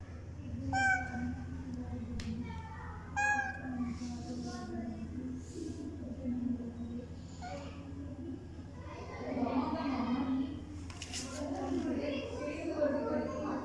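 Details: Neighbourhood cat trying to get attention and sneak into a home, giving two short rising meows early on, then quieter mewing, with a person talking in the background.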